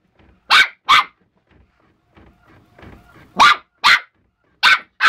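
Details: Young West Highland White Terrier barking at a printer whose noise and paper it dislikes; pairs of loud, sharp barks with a stretch of quiet printer clatter between bursts.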